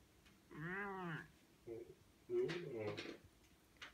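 A Bengal cat gives two drawn-out, lazy meows, each rising and then falling in pitch.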